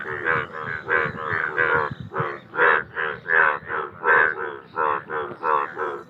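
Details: Chorus of Indian bullfrogs giving loud, reedy, bleating croaks in steady pulses, roughly eighty per minute, several frogs overlapping in a continuous rhythmic din.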